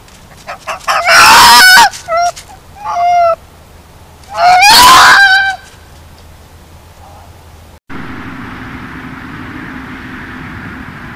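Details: Fox caught on a trail camera: two loud, harsh, rasping screams around two and five seconds, with shorter yelping notes between, followed by steady background hiss.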